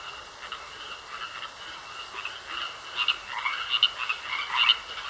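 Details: Frogs croaking in a pond: a soft, uneven chorus of short, grating croaks that grows louder and busier toward the end, over a steady high hiss.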